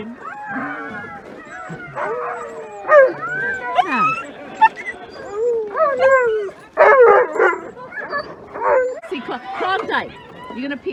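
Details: Alaskan Malamute sled dogs in Larose Forest, Ontario, Canada, on a freezing winter day near -30 °C before a run: overlapping rising and falling howls, yips and yelps from several dogs, with music and a person's voice mixed in.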